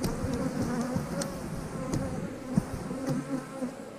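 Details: Backyard colony of honey bees in an eight-frame hive being split: a dense, continuous low buzz with wavering pitch from many flying bees, broken by occasional clicks of equipment.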